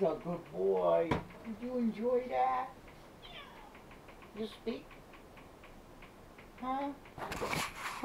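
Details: Pet cat Simba meows at his owner from the love seat, filmed with a helmet cam: several short arching, harmonic meows in the first few seconds, a sharp knock, a quiet stretch, then a brief noisy rustle at the end.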